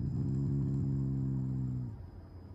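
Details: Affectionate growl from Taiga, a Shiba Inu lying on its side and not angry at all; a single steady low rumbling growl of under two seconds, then fading into quiet room hum.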